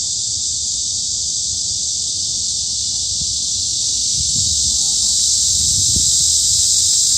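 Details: High summer at Hanbat Arboretum, Daejeon, Korea: massed cicadas give a steady, bright buzzing wash, with a few soft low thumps and rustles near the end.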